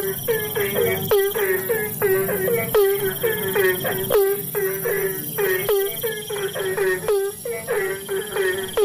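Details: Asian common toads calling during the rainy season in a busy chorus of rapid, nasal, repeated croaks.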